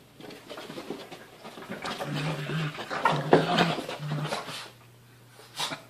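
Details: Seven-month-old Mochi pounces on her big brother Churro, aged 1.5, in a play fight. Steady low growls build into a noisy tussle of snarls and panting, then fade to quiet with one last short grumble.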